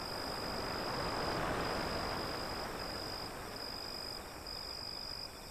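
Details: Crickets trill in a steady, high, pulsing band under a broad hiss of breaking waves, the surf swelling and fading as the insect chorus continues without pause.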